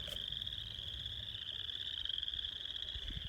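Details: A steady, high frog chorus trills without a break in a northwest Iowa wetland, with a low rumble of background noise.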